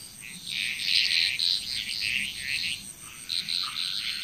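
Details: Dense chorus of frogs calling together in Bali, Indonesia, a thick mass of rapid, overlapping rattly croaks repeated several times a second, over a constant thin high-pitched hum.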